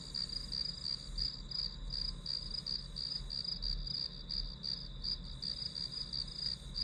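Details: Grass insect sounds as calm background for studying: sharp, high chirps pulse in a rapid, somewhat irregular train with a faint higher shimmer and soft low hum underneath.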